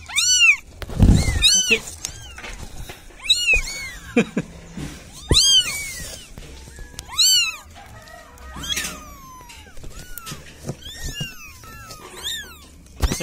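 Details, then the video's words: Cats calling for help in a village setting, a run of high, arching meows repeated every second or so with many callers overlapping, some sharp clicks between calls. "SUARA KUCING MINTA TOLONG"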